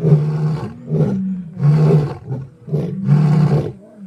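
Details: Lions in Africa roaring: a series of deep, grunting low roars, each lasting about half a second to a second, repeated in a steady rhythm of loud bursts with brief quieter gaps.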